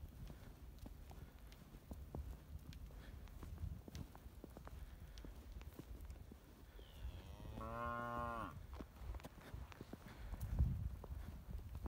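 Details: Braunvieh cattle from a registered fullblood and purebred herd of cows, heifers and calves: a single drawn-out moo with a stacked harmonic tone lasting about a second, over low rumbling background noise and scattered clicks.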